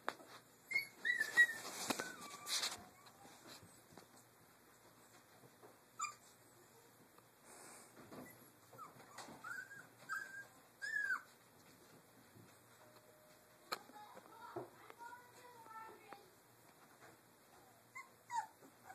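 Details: Doberman puppies, three weeks old, playing in their cage area: scattered high squeaky whimpers and short yelps, some in quick clusters, separated by quiet gaps with rustling and bedding noise indoors.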